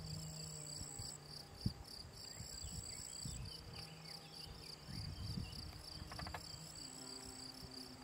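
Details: Field cricket, Gryllus campestris, singing by ponds in the Draga valley, Slovenia, in June; steady high pulsing chirps over louder low rumbling noise and a sharp click.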